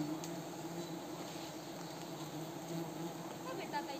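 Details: Wild Himalayan cliff honey bees, also called mountain bees, buzzing during a risky honey harvest at Wui village. A dense, steady low droning hum with layered tones holds throughout, with faint rustling on top.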